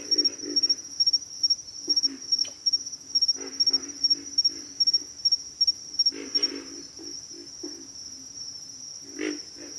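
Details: Pig frogs call with gruff, pulsed grunts in quick runs, then fall quiet toward the end leaving a single later grunt, beneath a constant high insect drone.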